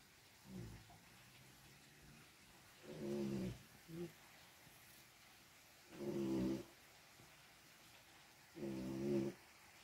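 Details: Domestic cat grooming itself, with other cats present: three low, throaty rumbling sounds spaced about three seconds apart, each lasting under a second, with quiet room background between.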